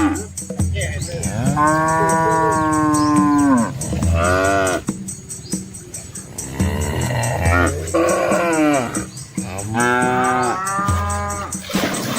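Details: Red village cattle in rural Asia, a large herd with calves, wading across a small flowing river; long, drawn-out, strongly harmonic moos of a second or more, rising then falling, come in four main bouts over steady low background rumble.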